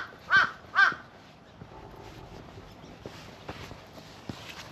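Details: Cream-coloured community cat in a park calls its ginger tabby companion over, as if offering a New Year greeting: two short, loud meows in quick succession, then quiet outdoor rustling and soft footsteps.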